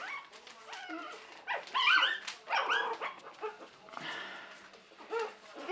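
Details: Three-week-old puppies of Buttercup's litter, 2015, yip and whine in a busy run of short rising and falling squeals, several overlapping, with scuffling in between.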